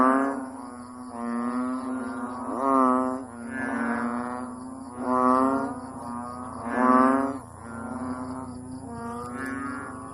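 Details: Frog that puffs up like a balloon then blows out the air in a loud honk, repeated over and over for hours; deep nasal harmonic honks swell and fade roughly every one to two seconds, with a steady faint high whine behind.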